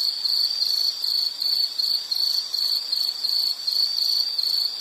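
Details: Insect trilling used as a soothing nature sound, a sharp high buzz pulsing in quick even beats about twice a second, with slight swells in loudness and no other sounds.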